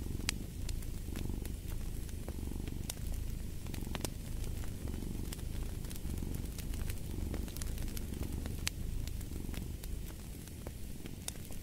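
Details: A cat's deep, throbbing purr runs without a break, rising and falling softly, with frequent crisp crackles and pops from a burning fireplace scattered throughout.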